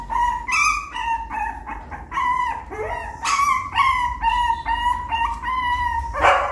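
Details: A puppy trying to climb a little step into the nest, giving a steady run of high whimpering cries, each a short held whine with bright overtones, repeated about twice a second and almost without pause.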